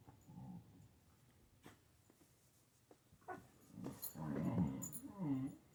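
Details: Siberian Husky at play with a kitten in a small room; a soft grumble opens, then quiet rustling, before a louder burst of low, wavering growls and whines in the last two seconds.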